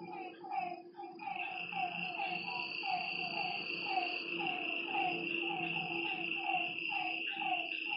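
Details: Lakeside frogs at night give short, bouncy mid-pitched notes, sparser and irregular, set against a continuous high insect whine and a faint low hum.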